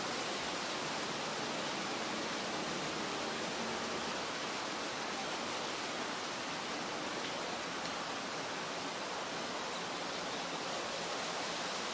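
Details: Steady broadband rushing like a waterfall or stream, with no animal calls heard.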